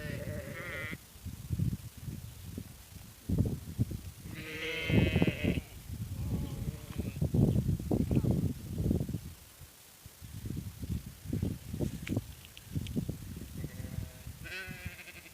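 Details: Sheep bleating: wavering, nasal, harmonic bleats open the recording, a longer strong bleat comes near the middle and another at the end, separated by low, rumbling, thumping sounds.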